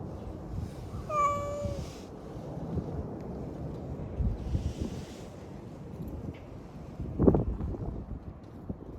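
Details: A single clear, flat-toned meow from a drowsy community cat, lasting under a second, followed by quiet rustling and low wind-like background noise.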